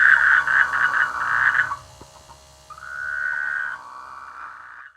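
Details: In rice fields during the rainy season, frogs give a burst of rapid rattling croaks, followed after a pause by a steadier, drawn-out buzzing call that fades away.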